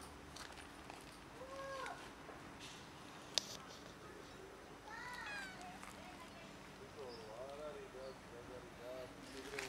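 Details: Hungry kittens climbing down a garage for food, meowing repeatedly: short high meows with arched, rising-then-falling contours, some overlapping as several kittens call, spread across about ten seconds over a steady low background hum.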